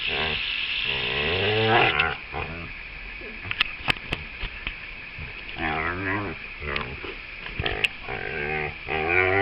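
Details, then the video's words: Female dog vocalizing while being played with: wobbly, harmonic grumbling moans near the start and again past the midpoint, with a few sharp clicks between them and steady hiss underneath. "playing dog making funny noises!"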